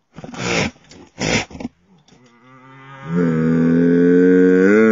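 A goat lets out a long, strained bleat that swells and wavers near the end.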